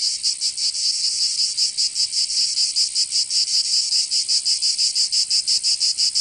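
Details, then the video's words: Summer cicada chorus from Provence in the south of France, a dense hissing drone with a looser, slightly uneven pulsing beat and nothing else audible. "Canto Cigarra 🦗 [ Escuchar les cigarras en verano 10 H]"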